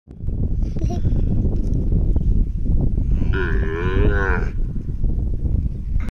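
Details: A calf gives a single drawn-out, wavering moo lasting about a second midway through, over constant loud rumbling wind or handling noise.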